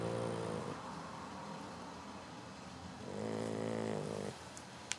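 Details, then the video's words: Beaumont, a 13-week-old Boxer puppy, sleeps after chasing the hose; two long harmonic snoring breaths, each about a second, with a quiet gap between them and faint room noise. "Snoring Boxer Dog"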